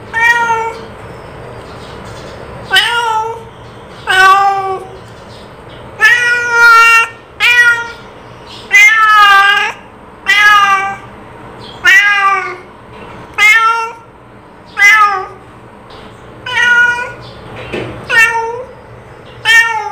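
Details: Domestic cat calling in a long run of about fifteen meows, short and wavering in pitch, coming roughly every one to two seconds over a steady low hum.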